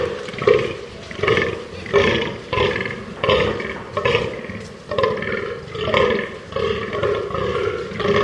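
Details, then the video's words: Fallow deer producing rhythmic guttural belching grunts, roughly one every three quarters of a second, each a short rasping burst with a hoarse buzzy quality, the series continuing steadily to the end. "ALAGEYİK SESİ - Fallow Deer SOUND"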